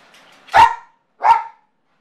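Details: Two loud, abrupt barks about three-quarters of a second apart from a male Yorkshire terrier left home alone with separation anxiety, in an otherwise silent room.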